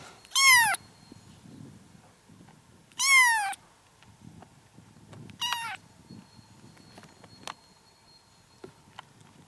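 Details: Kittens aged four to five weeks, seven in all, living in a yard and recorded June 6, 2017, give three loud, shrill meows that slide downward, each roughly two and a half seconds apart, over soft background rustling.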